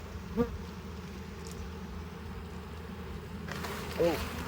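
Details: Bees of a honey bee hive humming as frames are pulled during a harvest; the steady low buzz is interrupted by two short squeaks of wood or tools.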